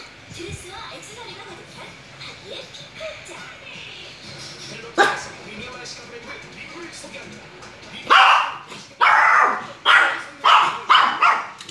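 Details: Adult Maltese dog, two years old. Quiet murmuring human speech at the start gives way to a series of about six sharp, high yapping barks in the last few seconds.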